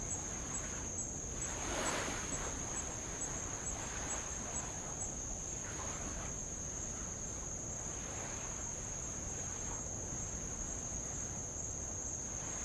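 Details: Unbroken high insect whine from Avalau island, Tonga, captured from a rowboat along old lava shore; light waves surge and recede in soft rushing bursts, strongest near the start.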